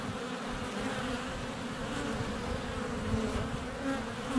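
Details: Steady low hum of honey bees in flight at their hive entrance on a sunny February day, recorded at close range with a GoPro Hero 7 Black; an even, unbroken drone.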